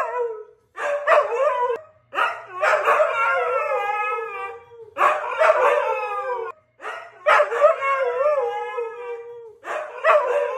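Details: Husky brothers, Siberian breed, give rounds of yodelling howls with quavering, sliding pitch, separated by brief pauses and short yelps, two voices interweaving.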